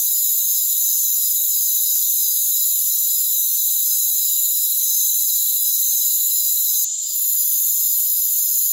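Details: Crickets in a rainforest, a dense, unbroken high-pitched trilling chorus with several layered shrill bands and faint pulsing. No low sounds are present, and a brief bright click comes near the end.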